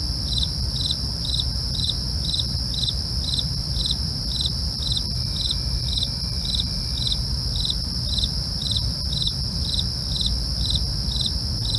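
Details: Real night cricket chorus: crisp chirps repeat at a steady pace of about two per second for the whole stretch, over a continuous high-pitched buzz and low rumbling background.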